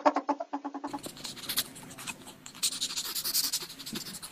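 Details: Ferret giving a rapid run of harmonic, clucking pulses, about ten per second, for under a second, followed by scratchy, rustling broadband noise with soft hissy bursts.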